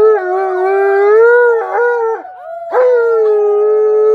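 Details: Tonka the Malamute, excited by company, answers children's howling with a full, resonant howl. The long note holds steady, breaks into a brief yodeling waver near the middle, then returns strong and sustained to the end.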